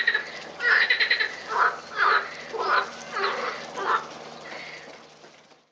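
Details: Frogs at the Botanical Garden in Lausanne on 20 April 2018: loud, rasping, nasal croaks repeated roughly twice a second in an uneven series, fading into quiet at the end.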